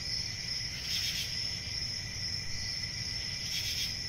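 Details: Crickets chirping in a steady, continuous high-pitched trill, with a fainter lower band beneath it and a soft rumble of background noise throughout.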